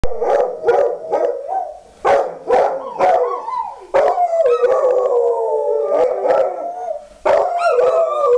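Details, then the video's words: Pit bull dog howling wolf-like: sustained wavering mid-pitched howls with rich harmonics, broken by short sharp barks and yelps in between, the long tone sliding slowly downward. "PITBULL THE WOLF"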